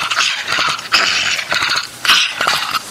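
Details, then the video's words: Angry pet dog, indoors, making harsh, noisy growling and snarling bursts, loud throaty rasps repeating about once a second, with short pauses between them. "Angry Dog Makes Angry Noise"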